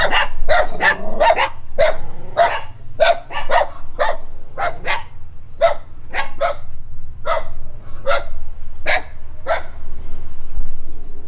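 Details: Dog barking at a stranger while running: sharp single and paired barks in uneven bursts, quickening early on and then spacing out, with a low rumbling background throughout.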